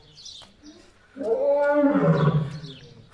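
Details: Lion roaring at a zoo, called happy with the visitors: one deep, rough, drawn-out roar lasting about two seconds, with faint background noise before it.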